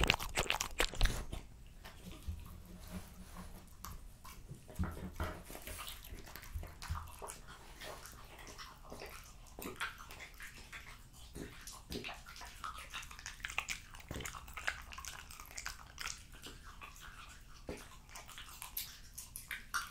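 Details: Jessica, a female French Bulldog, eats raw lamb cutlets, beef schnitzel and BBQ pulled pork indoors. Wet crunching and biting come in irregular bursts, with sharp clicks and low thuds between quieter chewing.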